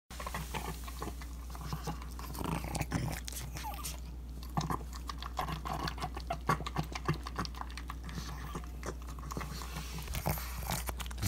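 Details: Pug eating a ground beef breakfast indoors, filmed on an iPhone 7: dense run of wet snorting grunts and chewing smacks in quick irregular bursts over a steady low hum.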